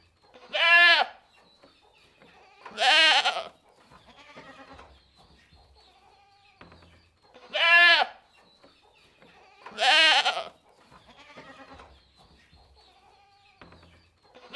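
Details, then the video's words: Goat bleats in two pairs, each a short, clear, falling bleat followed by a louder, harsher one about two seconds later, with long quieter stretches of faint rustling and low thumps between. "Goats Sound Effect"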